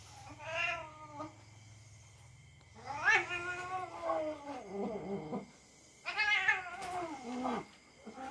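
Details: Pet cat caterwauling during rough play with a young dog it trusts. Loud, strained yowls swoop downward, repeated in clusters with short gaps, over a low steady hum early on.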